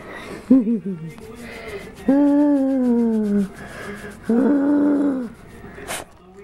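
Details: Arran, a pet dog who sings along with other dogs, gives three tonal vocal sounds indoors: a short wavering moan, then two long sustained notes that each slide slowly downward, with quiet room noise between them.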